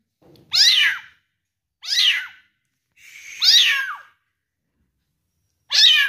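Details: Four insistent mews from a one-month-old kitten during feeding, each shrill and arched, falling at the end, spaced one to two seconds apart with a longer pause before the last, in a quiet indoor room.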